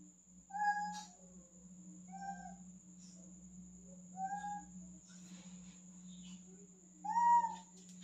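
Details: Male cat that climbs easily but is afraid to jump down, meowing from up high: four separate drawn-out, slightly falling meows spaced about two seconds apart, the last one louder, over a steady low hum and a faint high whine.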